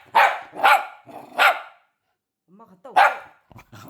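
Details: Pet dog Mango barks as the owner says she is leaving home: four sharp, loud barks spaced about half a second apart, a short pause with a woman's voice, then one more bark.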